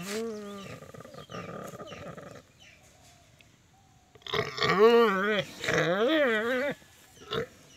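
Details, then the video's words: Angry pig with a short squeal at the start, then a loud run of wavering, pitch-shifting squeals near the end, with a low murmur of voices between. "बाप रे गुस्सा करता है सुअर"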